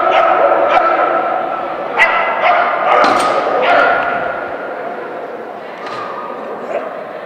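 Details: Keeshond named Maggee at a Keeshond Club of SoCA AKC event, Friday 30 December 2011, Excellent Standard class; sharp barks recur about every second over steady crowd murmur and voices.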